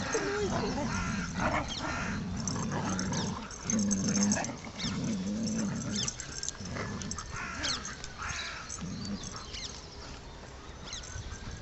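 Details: Two dogs playing, six-month-old saluki Amir and malamute Sasha, Beckenham Place Park, 22 March 2012: repeated throaty growling bouts about a second long, strongest early, fading into scuffling and light yips amid park ambience.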